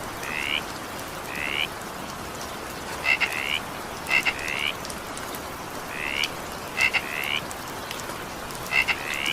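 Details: During evening rain a frog gives short upward-bending croaks, about twenty-two a minute at irregular gaps, some introduced by clicks, over the soft, even roar of rain.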